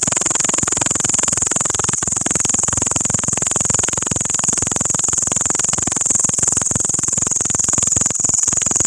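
A locust at night gives a steady, high, shrill buzz that never pauses.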